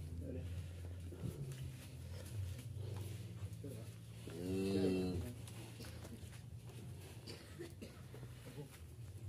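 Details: Qurban sacrificial cattle being loaded at a farmer's pen for transport to Jakarta give a single drawn-out, harmonic moo of under a second, over a steady engine rumble, knocks and people talking.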